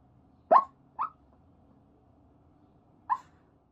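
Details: Sleeping rescue Chihuahua dreaming, three brief nasal yips, two close together then one after a two-second pause, over quiet low background hum.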